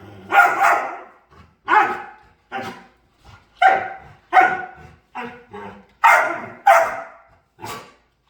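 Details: Playing dog giving a series of short, sharp barks and yips, about ten bursts over eight seconds at an uneven pace, some louder and some softer, with brief silences between them.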